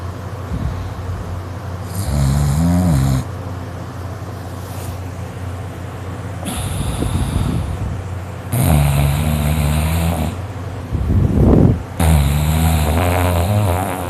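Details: A dog named Dakota, or Kota, asleep for about an hour and snoring loudly. Long, rough, droning snores with a low buzzing tone, separated by quieter breathing gaps. A steady low hum sits underneath.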